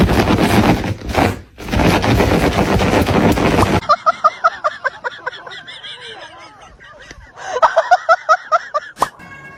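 A loud, crashing wash of noise fills the opening seconds. Then a Shiba Inu lets out quick strings of shrill, harmonic yelps and squeals, pausing briefly before another dramatic burst.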